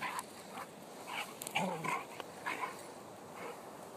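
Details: Vizsla puppy playing rough and wrestling with a Weimaraner; short rough growly vocal bursts come in a quick irregular series, mixed with scuffling noises of the play.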